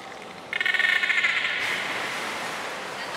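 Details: Beluga at Port of Nagoya Public Aquarium during a training session with Hodoi, Taanya and Mirai on 14 September 2019; a rapid, buzzy burst of pulsed tones lasting about a second, then a fading hiss.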